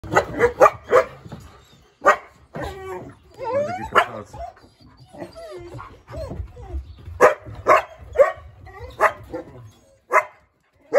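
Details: East European Shepherd puppies barking at a husky: a run of short, sharp, high yapping barks at an uneven pace, with brief pauses and a few whiny, yelping notes mixed in.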